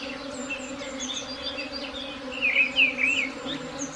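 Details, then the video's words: A swarm hums in a constant low drone without a break, while faint high bird chirps run through the background and grow into a brief louder twitter past the midpoint. "Swarm buzzing sound"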